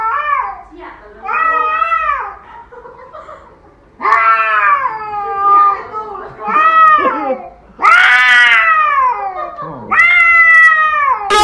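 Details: Domestic cat annoying its owners indoors, giving about seven loud, drawn-out meows, each rising then falling in an arched, harmonic-rich wail and spaced roughly every one to two seconds, with brief human speech in the background.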